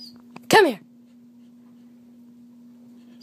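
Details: Harley, a female Wheaten Terrier, during her morning exercises indoors, gives one sharp, loud yelp that slides steeply downward in pitch, lasting under half a second, followed by quiet with a steady electrical hum underneath.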